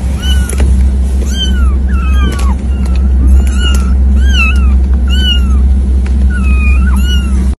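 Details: Cat giving a series of about eight short, falling meows, roughly one every second, over a loud, steady low hum that runs throughout.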